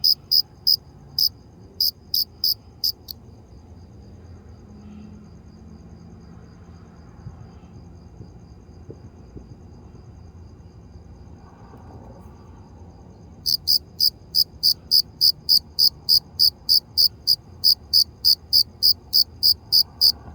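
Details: Sharp, high cricket chirps for the first few seconds, then about ten seconds of near quiet with faint low background noise, after which the chirping resumes in a steady, regular run.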